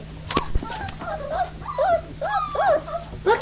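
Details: Four-week-old puppies from the Belize/Riggs litter playing with new toys, giving a run of high, wavering whimpers and squeaky cries that rise and fall, with a woman's soft voice greeting them nearby.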